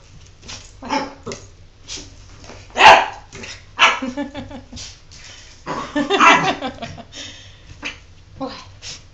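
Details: Jordan the dog, a pet not wanting a bath, gives scattered short whiny yips and yelps between stretches of a person talking, with a louder burst around the sixth second and quiet gaps between calls.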